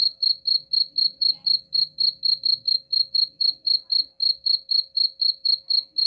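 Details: High-pitched cricket chirps used to repel rats, evenly spaced about four each second, with a soft low rumble and a steady faint hum underneath.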